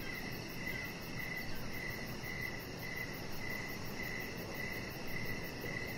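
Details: Outdoor evening ambience on a deck, a chihuahua puppy named Rocket lying nearby: crickets give steady, evenly spaced high chirps near twice a second against a constant shrill insect buzz and mild hiss.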